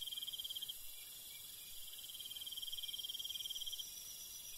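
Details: Night-time cricket in rural countryside: two trilled bursts of evenly spaced high pulses, the first short and the second about a second and a half long, backed by a steady hiss of insect chorus.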